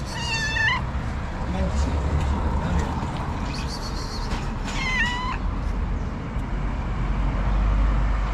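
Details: Hungry stray street cat, homeless in the cold, asking for affection and food: two drawn-out wavering meows, one at the start and one after about five seconds, over steady outdoor rumble and faint traffic.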